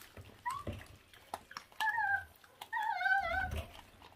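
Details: Feral dog puppy, one of a litter its mother abandoned, eating while giving short tonal whines that rise and fall, with pauses and scattered clicks between them in a small indoor space.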